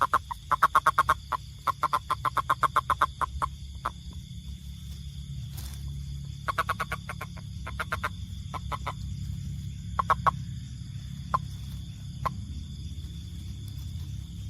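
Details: Toad giving rapid trains of sharp clicking pulses, fast runs of a dozen or more then sparser clusters, fading toward the end, with a constant low background hum and a thin high tone throughout.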